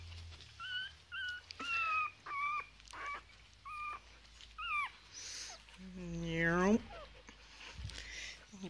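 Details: Three-week-old foster Chihuahua puppies at play alongside huskies: a string of short, high, squeaky whimpers and yelps in quick bursts, several bending upward or downward, then one longer wavering squeal that slides down in pitch.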